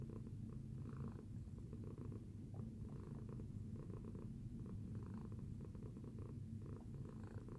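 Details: Low, constant purring from a domestic cat following breakfast, the rumble pulsing gently with each breath about once a second, close and steady with no other sounds.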